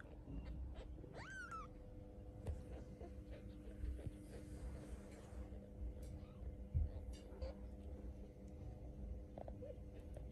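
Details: British Shorthair kitten, one of two sisters born December 11, 2021, gives a single short, rising high meow early on, followed by quiet household sounds and a woman's soft Russian voice.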